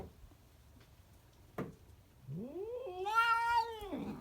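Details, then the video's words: Cat giving a weird noise: after a quiet start and a single knock, one long rising then level caterwauling meow, rich in harmonics, swelling loudest near its middle before falling away at the end. "Weird cat noises"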